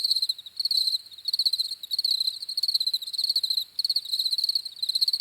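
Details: Crickets chirping in clear pulsed bursts of about half a second, separated by short gaps, each trill bright and high-pitched, repeating steadily with no other sounds present.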